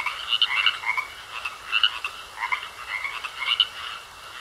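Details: Pond frogs give bursts of raspy croaks in clusters, a few loud pulses roughly every second with quieter gaps between, over a faint steady high tone.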